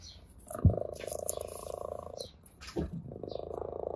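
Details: Orange tabby cat at play with a grass blade, purring with pleasure; one sustained pulsed purr phase of under two seconds, then a quieter one, broken by a sharp thump and soft rustles.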